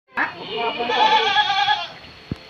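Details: Goat on an Indonesian farm in Purworejo, among 29 being readied for shipment to Serang, Banten: one long, wavering, nasal bleat lasting nearly two seconds, then a short click.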